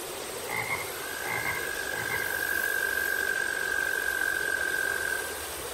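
A frog gives a long, steady, even-pitched trill, preceded by a few short chirps.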